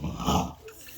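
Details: French Bulldog on its back getting belly rubs gives a short, loud, rough grunting rumble of contentment, fading quickly into room quiet.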